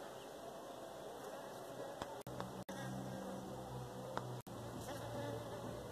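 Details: Honey bee in Pakistan, a low droning hum that swells for about two seconds in mid-clip over steady background noise, broken by a few sharp clicks and brief dropouts.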